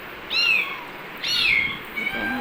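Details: Kitten meowing twice, loud, high-pitched cries that rise then slide downward, followed by a fainter lower call; quiet hiss behind.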